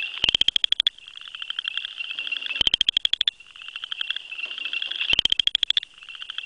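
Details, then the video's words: Male Southern chorus frog calling from grasses, vocal sac moving; three crisp, rapidly pulsed trills, each under a second and spaced about two and a half seconds apart, rising slightly, over a steady background chorus of more frogs. "Southern Chorus Frog (Pseudacris nigrita) Calling"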